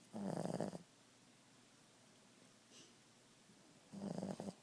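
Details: Boston Terrier named Ziggie snoring at nap time: two rough, breathy bursts under a second long, roughly three seconds apart, with a quiet pause between them in a still indoor setting.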